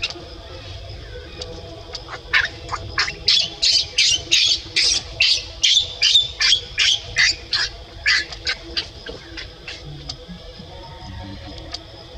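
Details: Baby monkey with an adult monkey, pets, giving a fast run of high shrill squeaks, about two and a half per second, loudest in the middle and fading toward the end, over steady low hum.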